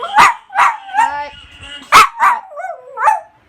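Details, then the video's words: Singing dog giving a string of short yelping barks mixed with wavering howled notes, rising and falling, roughly one burst every half second. "Singing Dog"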